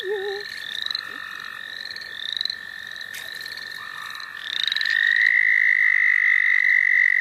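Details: Frogs calling in the St. Olaf College Natural Lands. Rising chirps and soft buzzy notes repeat early on. After about four seconds, one loud, close, steady trill takes over and holds unbroken to the end.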